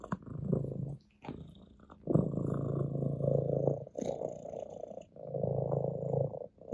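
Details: Ginger, an orange tabby domestic cat, purrs steadily on a lap in low, rumbling pulses that swell and fade with each breath.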